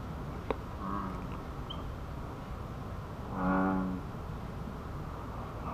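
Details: American bullfrog recorded on 28 April 2015 from the wild bird observation hut of an ecology park: a single deep, moo-like droning call under a second long over steady low background rumble, after a brief sharp click.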